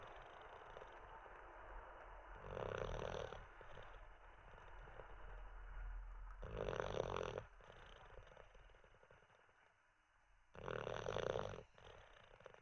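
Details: Dozing olde English bulldog, Teddy, lingering in sleep after treats and a wee: three rasping, rumbling snores spaced about four seconds apart, separated by soft, steady breathing.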